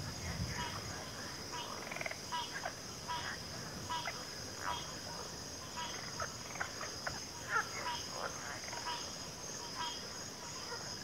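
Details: Frog chorus from the backwater: frequent short mid-pitched croaks overlapping at uneven intervals, with a steady high whine running underneath.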